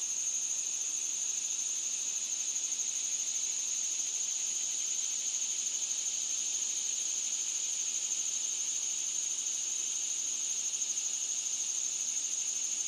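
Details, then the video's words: Cicadas producing a dense, even, high-pitched drone that holds steady throughout without pause. "Listen to the sounds of the Cicadas"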